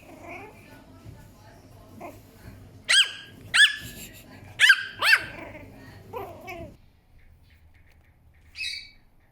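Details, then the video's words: Puppy Chihuahua letting out a quick burst of five high, squeaky barks in about two seconds, then a lower drawn-out yelp and one faint squeak after a pause; a soft human voice murmurs at the start. "Cute Sounds Of A Puppy Chihuahua"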